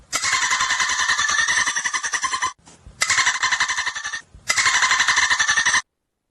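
A dolphin gives three bursts of rapid, buzzy, squealing chatter, the pulses packed tight and harsh, each burst lasting one to two seconds with brief gaps between.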